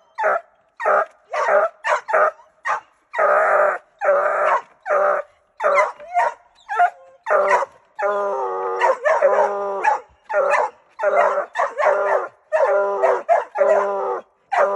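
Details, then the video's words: Treeing Walker Coonhound barking wildly in rapid repeated bursts, deep harmonic barks roughly every half second with a longer drawn-out bay near the middle. "walker hound gone wild"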